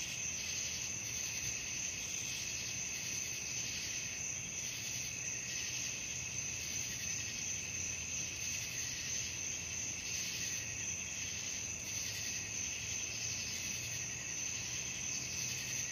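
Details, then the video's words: Crickets at night keep up an unbroken high, ringing trill chorus, pulsing roughly every second, with a faint low hum beneath. "suara jangkrik malam"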